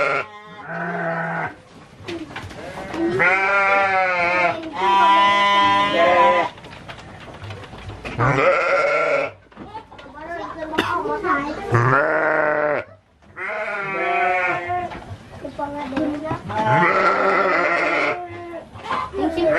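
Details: Garut sheep on a fighting-sheep farm in Dangiang, Cilawu, Garut, Indonesia, bleating in a chorus of wobbling, drawn-out calls, several voices overlapping, with brief speech in the gaps.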